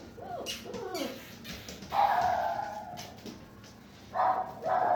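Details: German Shepherd puppies giving short arched yelps in the opening second, then a sustained high whine from about two to three seconds and two more steady whines near the end, with soft rustling between.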